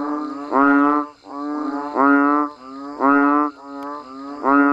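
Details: Rain-time chorus of banded bullfrogs and frogs from a rice-field village setting: loud, cow-like, buzzy harmonic calls roughly every second. A softer second caller fills the gaps between the stronger voice's notes.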